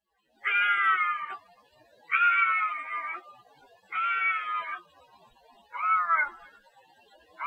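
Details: Bobcat howls, played to repel raccoons and rodents: four drawn-out, harmonic, cat-like wails, each about a second long, separated by short silences and repeated roughly every two seconds, with no other clear sounds.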